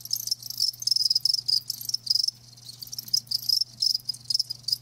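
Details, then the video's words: Several live crickets chirp in bright high pulses, bursts of trilling separated by short quieter pauses around the middle, over a soft constant low hum. "Live Crickets 60min "Natural Sound""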